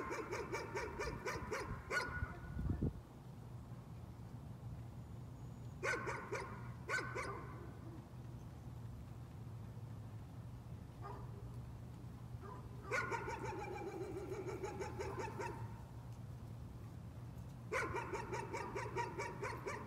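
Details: Dog barking as a nuisance: bursts of rapid, sharp barks in clusters separated by pauses, with a steady low hum running underneath.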